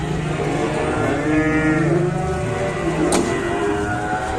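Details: An enraged cow being unloaded from a truck gives a long, low, harmonic moo. The call slides slightly up and then down, over steady engine and crowd noise, and ends with a sharp bang.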